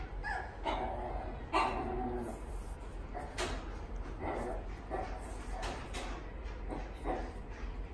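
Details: Pembroke Welsh Corgi at a pet shop in Fuji, Japan, giving a few short yips and soft whimpering barks in bursts over the first two seconds, then fainter scattered yelps, over a constant low indoor hum with clicks and knocks.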